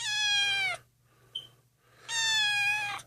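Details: Lost, abandoned kitten, found malnourished and shaking in the street and taken in indoors, gives two long, clear, slightly falling meows about a second apart, with a faint short squeak between them.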